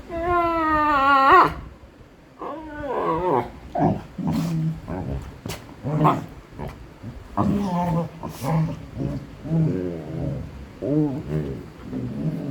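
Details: Golden retrievers at play give a high, wavering whine, then a run of low grumbling, moaning noises.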